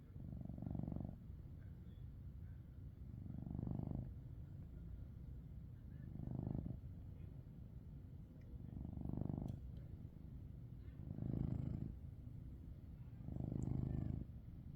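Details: Maine Coon cat named Coco snoring while asleep: low rumbling breaths swelling about every two and a half seconds, six regular snores with quieter gaps between, faint light clicks in the background.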